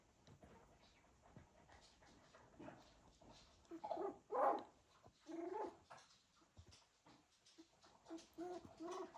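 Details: Cocker Spaniel puppies from one litter moving about indoors, giving short harmonic whimpers and squeaks in a few bursts, the strongest near the middle, over soft rustling and shuffling.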